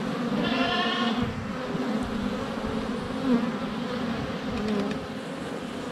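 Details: Honey bees in flight around their hive entrance in sunny February weather, GoPro less than a foot away; low continuous buzz, opened by a brief goat bleat in the first second.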